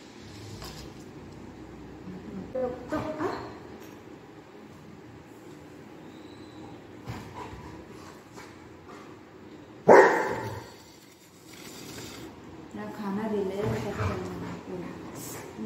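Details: Golden retriever waiting for food gives one sharp, loud bark midway, with softer whimpering and yipping sounds before and after against a quiet indoor background.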